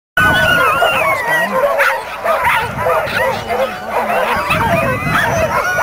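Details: Many dogs at the Caribou Carnival dog races, 2007, yelping and barking in a dense overlapping chorus, with high whining notes and people talking nearby.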